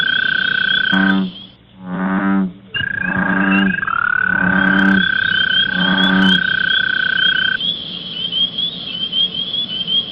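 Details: American bullfrog calling in spring: deep, resonant croaks repeat about every second and a half over a steady high trill.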